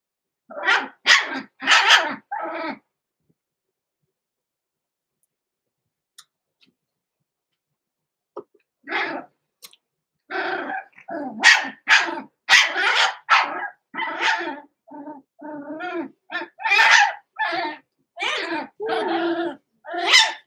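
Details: Roman and Blue, six-week-old blenheim Cavalier King Charles Spaniel pups born November 14, 2022, kept in an indoor pen. A few barks, a long silence, then a steady run of about twenty rapid, high yapping barks.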